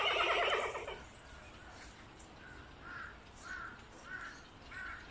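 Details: Meng Lan, a giant panda, gives one strong, rough bleat about a second long on 2022.05.18, followed by a quieter spell with short, soft, evenly spaced chirping notes.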